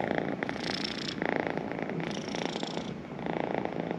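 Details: A house cat purrs right beside the microphone, a vibrating rumble rising and falling with its breathing, about one breath cycle per second.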